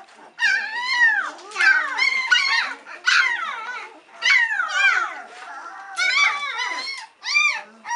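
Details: Litter of White Swiss Shepherd puppies aged three weeks crying for their mother Cova to come back for a feed; long wavering squeals and whimpers from several pups in bursts of about a second, separated by short gaps.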